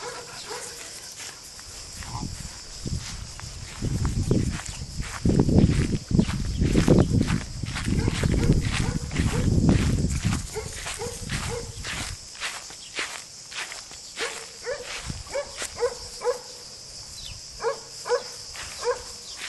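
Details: Three-month-old Weimaraner puppies on a walk with adult Weimaraners on a sunny day give short, high yips in quick bursts, with voices and footsteps in the background.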